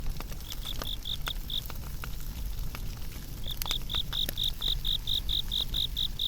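Insect chirps, short pulsed notes in rapid even runs, over the crackle and low rumble of a fire.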